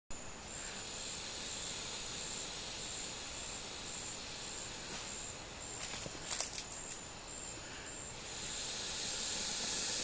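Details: Defensive boa constrictor at the Lodge at Pico Bonito in northeast Honduras, April 2017, giving a long, steady, breathy hiss that runs almost unbroken for ten seconds, with a few brief crackles midway and a person's voice nearby.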